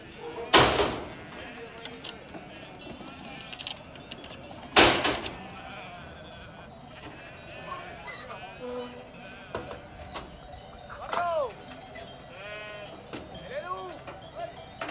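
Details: Returning transhumant Merino ewes in Tierras Altas, Soria, Spain, after a winter in Ciudad Real; two loud sharp knocks open the scene, then arched, tremulous bleats sound near the end amid chatter and faint music.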